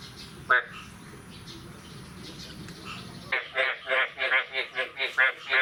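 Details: Morning of 9 May 2022 after the first rain of the year, frogs calling: a soft hiss of background noise with one short croak, then loud rasping croaks begin, repeating roughly three times a second.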